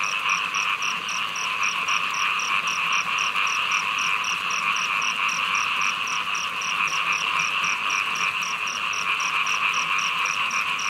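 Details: A continuous wall of frog calls in heavy rain, thick and unbroken, topped by a bright, even ticking repeated roughly three to four times per second for the whole stretch.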